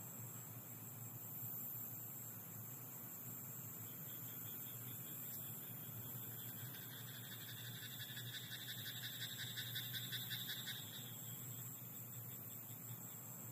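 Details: Frog croaking in a rice paddy at night: a faint, rapid train of pulsed, rattling croaks runs for about six seconds mid-clip over a steady low hum and constant background hiss.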